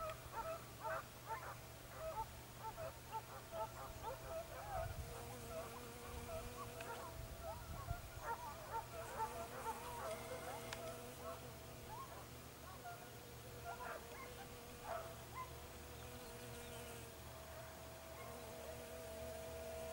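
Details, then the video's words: Segugio Italiano hounds trailing a hare in Evros, Greece, on 22 October 2023, giving a rapid chorus of yelps and bays, roughly two a second, some long drawn notes, with constant low-pitched background rumble. "segugio italiano sofiko evros"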